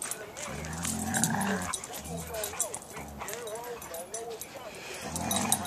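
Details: Siberian Huskies playing around in a yard: a run of short, arched, whiny yips that rise and fall, bunched in the middle of the clip, with people talking over the start and end.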